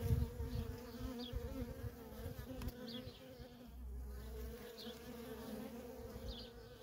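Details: Worker honey bees in constant flight at a feral colony, buzzing in a low droning hum with several close bees whirring past, the drone softening toward the end.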